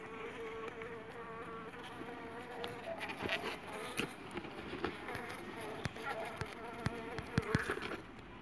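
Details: Jandaíra stingless bees from a strong colony, giving a steady, low humming buzz with a faint tonal band, broken by scattered sharp clicks and taps.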